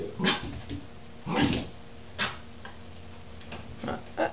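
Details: Irish Terrier puppy Roger, between three and four months old, reacts to his mirror image with a few short, separated barks and yips, widely spaced with quiet gaps between them.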